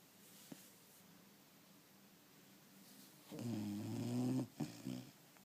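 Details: Dog snoring; a quiet stretch, then a low, rattling, droning snore lasting about a second, followed by a shorter second one.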